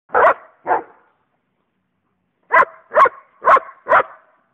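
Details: Pet coonhound baying at the neighbours' dogs: two short, full bays, a pause of about a second and a half, then four more quick bays in a row. The yowling bursts are loud and clear against a quiet background.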